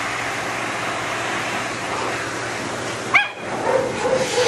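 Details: During drying, a matted Shih Tzu that bites lets out one sharp rising yelp, then a few soft, brief whimpers. Continuous dryer hiss runs throughout.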